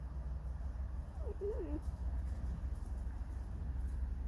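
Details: A single wavy, squeaky whine of just under a second, wobbling up and down, from Alisa the fox in a disgruntled mood. Low hum sits in the background.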